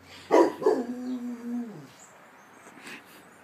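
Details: On guard against an emergency siren, a pet Rottweiler gives two quick barks that melt into a steady, moaning howl, falling in pitch and fading after about a second and a half, with quiet background afterward.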